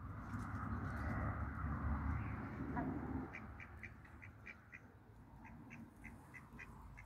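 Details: A mallard pair meets three hybrid runner ducks, two males and a female, in a backyard farm; after a noisy start, a regular series of short, clipped quacks follows, about three or four each second, over a low rumble.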